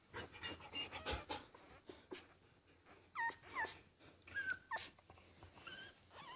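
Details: Twelve-day-old Australian Labradoodle and French Bulldog puppies taking their first steps: thin, high whines that bend up and down, in short bursts among soft rustling and shuffling.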